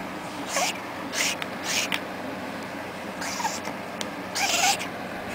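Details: Domestic cat that cannot meow properly, giving a few weak, breathy, hoarse meow attempts, short rising-falling cries spaced about a second apart, mostly airy hiss with faint tone.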